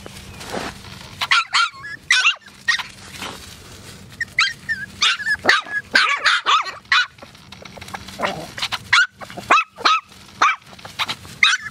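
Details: AKC Poodles giving a busy run of sharp, high-pitched yapping barks, some with a short upward lilt, packed closely over about twelve seconds with brief quiet gaps.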